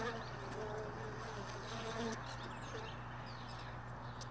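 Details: Honey bees lingering at hive boxes left in a truck bed; brief buzzing passes with wavering pitch in the first half, fading to a steady drone over a constant low hum.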